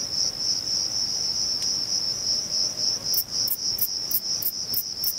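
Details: Male Thyreonotus corsicus bush-cricket singing in Vilella, Sueca, stridulating by rubbing its reduced wings together; a steady, very high-pitched continuous buzz, joined halfway by sharper ticking pulses about three per second.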